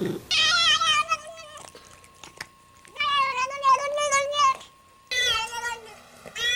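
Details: Cat making three loud, drawn-out meows, each a rich harmonic wail that sags slightly in pitch and lasts over a second, with short quiet gaps and faint clicks between them.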